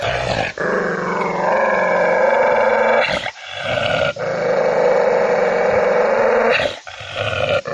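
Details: Angry dog growling loudly in long continuous rumbles, with brief gaps and a few short snarling bursts between them.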